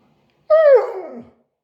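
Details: One brief Siberian Husky vocalisation of under a second. It begins as a steady, clear tone, then breaks and falls into a rougher, sliding moan that fades out.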